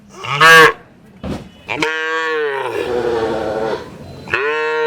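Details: Cattle at a village market: a brief loud bellow, then a long sustained moo and another rising call at the end, with market clatter in between.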